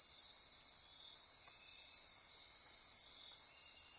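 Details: Night-time insect chorus from lush forest near Corcovado National Park, Osa Peninsula, Costa Rica: constant high-pitched trilling and ratcheting tones layered into a steady wall of sound, unbroken throughout.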